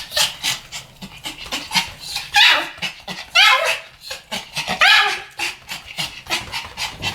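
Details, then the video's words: Pomeranian dogs in a barking duet: a few high, sharp rising yips around the middle of the clip, separated by breathy panting and soft rustling noises. "ポメラニアン Pomeranian デュエット吠え 1000回 犬の鳴き声"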